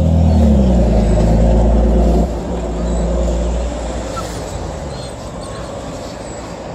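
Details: Loud low engine rumble from a vehicle, fading after two seconds, with faint background noise and no animal voice.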